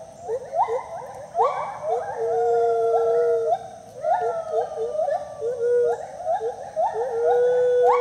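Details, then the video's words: At the IPPL rescue centre in South Carolina, the gibbons Speedy and Maui sing together: bursts of steep rising whoops recur about every two and a half seconds, each followed by a sustained steady note. "Speedy & Maui dueting."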